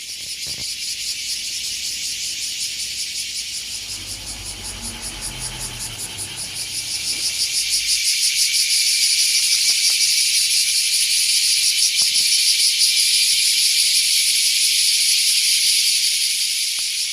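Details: Cicadas, large brown and bear cicadas, chorusing loudly at about nine in the morning in green, mountain-ringed surroundings in Japan: a dense, high, hissing buzz with a fast steady pulse that swells louder midway, with faint low rumbling and a few clicks early on.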